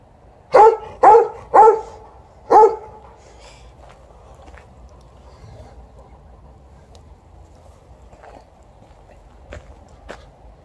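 A Golden Retriever gives four deep, full barks in quick succession, then falls quiet.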